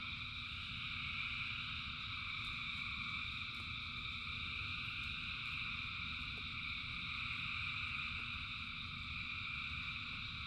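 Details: In the rain, thousands of frogs sing together, producing an unbroken shrill, layered trilling chorus over a continuous low wash of rain.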